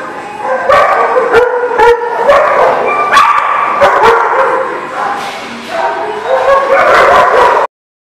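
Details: Barking dogs recorded 21 February 2020. Dense runs of sharp, tonal barks and shrill yips overlap continuously for about seven and a half seconds, then stop abruptly into silence.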